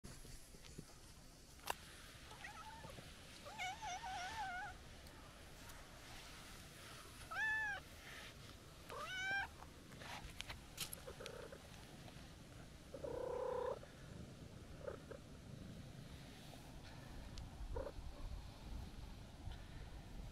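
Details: Calico cat, a stray met on a walk, meowing as its visitor tries to leave; four harmonic meows, rising-then-falling, spaced a couple of seconds apart, plus a softer low call, over faint outdoor background noise.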